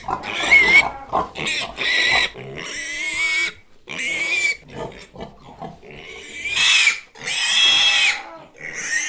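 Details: Pig squealing in a rapid run of loud, shrill, harsh bursts, each under a second to over a second long, with short gaps between and an occasional grunting note low in the mix.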